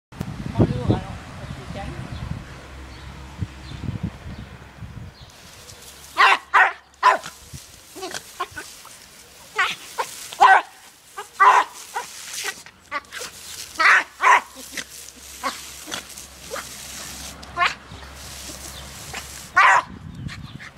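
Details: Dumpy, a Jack Russell Terrier, playing with water from a garden hose; after about five seconds of low rumbling, sharp barks come in irregular bursts, some close pairs, with hissing and splashing between them.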